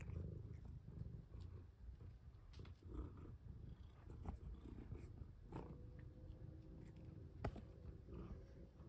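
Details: Pet cats Seokga and Moni being played with indoors and fitted with necklaces before a planned move to a farm; a steady low purring rumble runs throughout, with a few soft clicks and faint tonal lines near the end.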